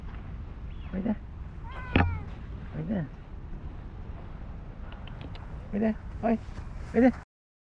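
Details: Stray cat in a park where cherry blossoms are starting to fall, rolling around and seeking attention: short, soft meows spaced out, with a cluster of quick meows near the end, and a person softly calling it over.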